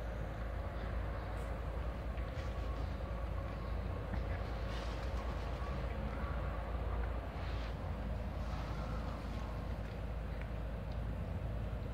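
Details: Steady low rumble of traffic and engines in an urban outdoor setting, with faint indistinct voices and no animal calls.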